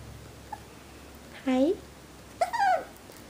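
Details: Playful, adventurous Havanese puppy Logan, a little boy born 12/27/2012, lets out two short rising whimpers about a second apart over a quiet room hiss.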